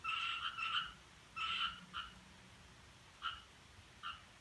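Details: Frog thought to make an unusual sound on 7 July 2017 after 4:13: short clusters of ringing two-toned croaks, a group of three, then two, followed by isolated single notes after pauses.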